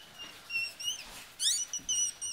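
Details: High, whistled squeals from newborn Yorkshire Terrier puppies as their mother gives birth in Michigan, several thin rising-and-falling cries in quick succession, one sharper upward-sweeping burst in the middle, with quiet rustling between.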